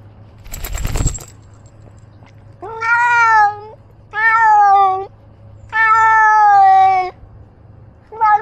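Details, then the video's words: Domestic cat named Ros, wearing a camera on his back while roaming, gives four loud drawn-out meows of about a second each, steady and harmonic-rich, separated by short pauses, after a brief rustling thump at the start. "I got a Camera for my Cat to see where he goes"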